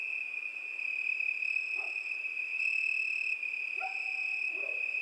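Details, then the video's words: Cricket sings without pause in an even, shrill, ringing tone with higher overtones that come and go. A few faint lower chirps from another animal sound in the background. "Пение Сверчка"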